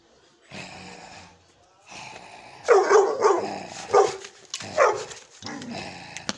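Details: Young Gull Terrier dog barking powerfully: a quiet low rumble at first, then four loud, sharp barks spaced about a second apart, ending with a softer short bark.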